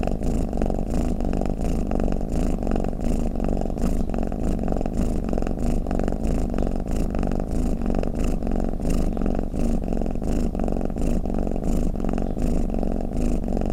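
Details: Snoring domestic cat: a continuous low, throbbing rumble with closely spaced breath pulses, even in loudness throughout, indoors and otherwise quiet.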